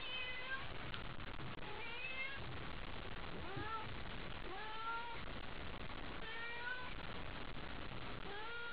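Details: Cat Haiko meowing repeatedly at night while thrilled by a toy: a string of quick, bending meows, some sliding upward, half-buried in a loud, steady indoor hiss and hum.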